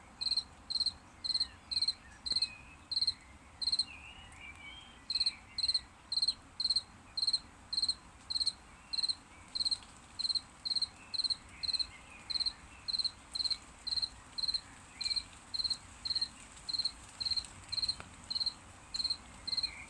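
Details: After rain, crickets sing ringing high chirps, each a short trill, repeated nearly twice a second almost without break over a soft low hum.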